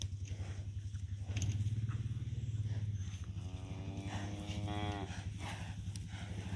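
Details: Young farm cattle running toward the farmer: a steady low engine-like rumble throughout, with a wavering moo rising and falling near the end.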